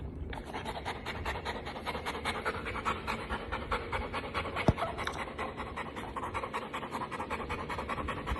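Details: Rapid, steady panting from a female Golden Retriever: raspy broadband breaths, roughly two or three per second, continuing evenly throughout, with a single sharp click midway.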